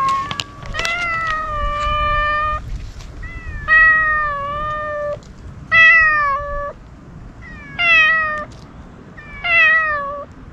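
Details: Hungry ear-tipped stray cats calling while waiting to be fed; about six long, wailing meows, each roughly a second long, repeated every couple of seconds with short pauses between them, and faint outdoor hiss behind.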